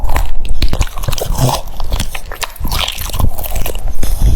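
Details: Crunching of cucumber by a French Bulldog at mealtime, close and loud, dense irregular bites and mastication about three or four per second, with a few wet smacking sounds.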